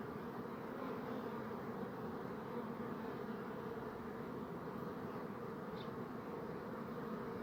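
A steady, dense buzzing of bees, a low continuous hum without breaks.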